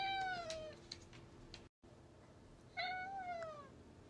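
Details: Indoor domestic cat meowing because it wants to go outside: two drawn-out, slightly falling meows about two seconds apart, with a quiet room and soft background music.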